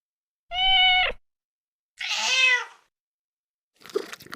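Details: Cat recorded at mealtime giving two clear, steady meows about a second apart, the second longer and rougher, followed by a short noisy scuffing sound.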